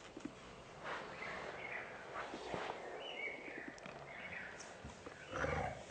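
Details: A male Spanish Mastiff puppy gives short, high whining and yelping calls over a noisy outdoor background.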